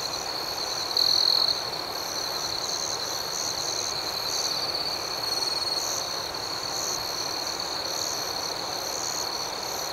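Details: Night crickets trill steadily in high, unbroken tones. A brief louder surge comes around one second, and a higher rapid chirping pulses regularly throughout. Quiet background noise sits beneath.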